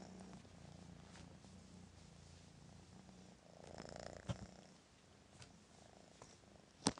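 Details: Four hyped-up kittens from Sooki's second litter, indoors, welcomed with a morning hello and loving the attention; a soft, steady low purr runs for about three seconds, followed by rustling and a few sharp clicks.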